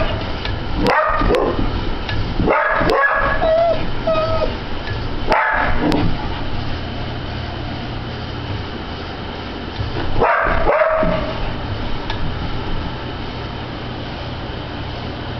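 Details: Border Collie indoors, reacting to a ceiling fan in June, described as obsessive. Sharp barks come in pairs at irregular intervals, with a brief high whine between bursts, over a steady room hum.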